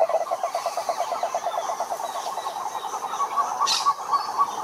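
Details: Toads giving fast pulsed croaks, one trill rising slightly in pitch toward the end while another overlaps, with a brief hiss of background noise; croaking males attract females.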